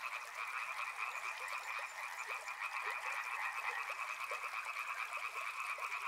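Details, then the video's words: Chorus of many frogs beside a river, continuous fast croaking trills layered in two pitch bands, with small irregular clicks scattered beneath and a constant watery hiss behind. "Frog Sounds | Soothing sounds of river and frogs"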